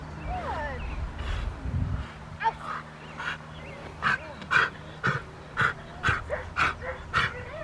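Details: Poncho, a Rottweiler, barking during IGP1 protection training at Victoria Rottweiler Club on May 9, 2021, with a helper. Sharp barks repeat steadily about twice per second in a long series, after a few seconds of people talking outdoors.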